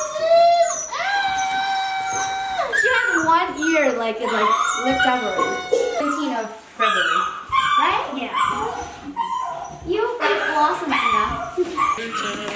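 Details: An 8-week-old female Siberian Husky puppy named Blossom gives long, drawn-out howling whines, some held steady and others wavering and sliding, while people exclaim and music plays behind.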